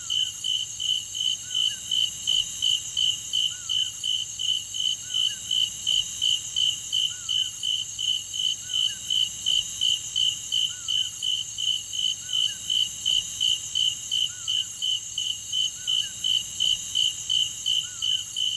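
A chorus of cicadas keeps up a continuous, piercing high buzz with a rapid, even pulsing throughout. Faint chirps sit beneath the drone.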